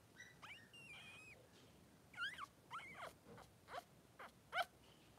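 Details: Newborn Blenheim Cavalier King Charles Spaniel puppies, two boys three days old, in their pen with mother Pom-Pom. Thin high squeaks and short chirping whines in scattered bursts, some bending up and down in pitch.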